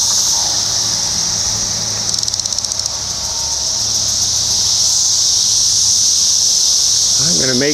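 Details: Periodical cicada chorus from the 2021 Brood X emergence in Ohio, a high continuous whine with a brief fast-ticking flutter early on, and a person talking toward the end.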